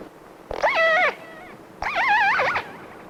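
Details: A newly captured killer whale, being towed toward Seattle in Puget Sound, gives two wavering, harmonic distress cries on hydrophone, each rising and falling over about half a second, with other whales sighted nearby.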